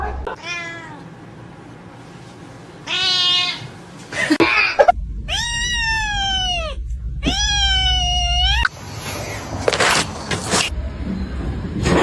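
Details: Domestic cat meowing four times over about ten seconds, each call a harmonic-rich wail that bends slightly downward. Longer calls come in the middle, with thumps, rustling and a low hum around them.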